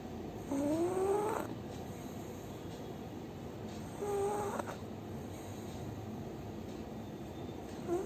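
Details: Bhuri, a pug, snoring while asleep: two whistling, wheezy breaths that rise in pitch, about three seconds apart, over a quiet steady background hum.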